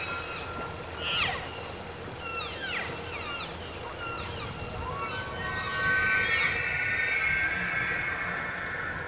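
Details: Bull wapiti during the early-September fall rut, bugles echoing through forest as challenge to rivals and invitation to cows; a run of sharp falling squeals and yelps, then a long sustained high whistle with rich overtones.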